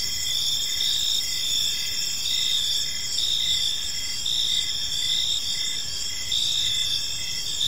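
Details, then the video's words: Evening in a peaceful park, many crickets sing together: high, continuous shrill trills layered with rhythmic pulsing chirps, no other clear sounds beyond a soft low rumble. "Park Serenade: Cricket Sounds in a Peaceful Park | Evening Ambience"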